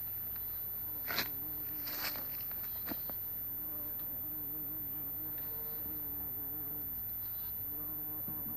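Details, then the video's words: Low, steady droning buzz of a bumblebee in flight, recorded 26 April 2017 at about 11:45. The pitch gently rises and dips, and a few sharp clicks and rustles appear early on. "Земна Пчела или Бъмбъл Бии"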